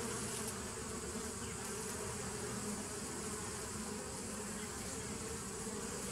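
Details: A 2017 nuc of bees, 27 September 2018, giving a continuous deep drone with a few steadier tones drifting in and out; no other sounds stand out.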